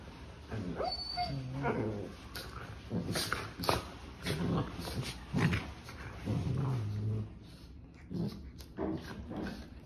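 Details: Two sibling puppies playing together, trading short whimpers, yips and small barks in uneven bursts, with a thin high whine near the start and scuffling between calls.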